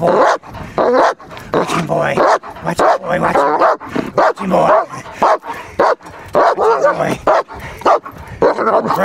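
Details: German Shepherd protection dog in guarding work, barking rapid-fire in dense, irregular bursts while a handler repeatedly urges it on with short shouted commands to watch the man.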